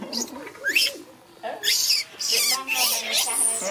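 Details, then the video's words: Monkey crying while trying to hug another monkey: bursts of high, squeaky, sweeping cries with bright harmonics, rising and falling in quick succession, with quieter gaps between them and faint background voices. "Monkey Miki cute cries trying to hug Niki"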